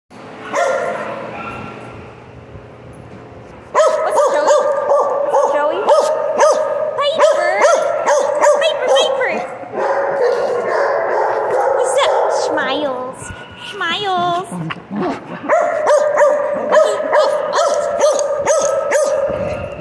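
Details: Piper, a pet dog, talking at length in long, steady, howl-like tones with strong overtones. The tones are broken by short rising and falling yips and warbling slides, and a quiet stretch opens the recording.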